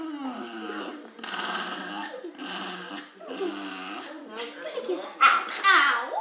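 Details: Daisy, a Staffordshire Bull Terrier, snarling in a small room: a run of gurgling, wavering growls and whiny grumbles in short bursts about a second long, ending in sharper high squeaky yelps, with human speech mixed in.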